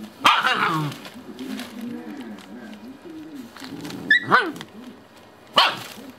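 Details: Shiba Inu mother with her puppies, who are said to be freeing her by cutting her leash. A sharp bark opens, followed by low murmuring growls, then two more abrupt, high yapping barks.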